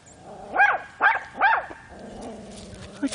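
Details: Boxer puppy recorded on March 1 while poking around a flower bed gives three short, high yelping barks about half a second apart, then falls quiet under faint background noise.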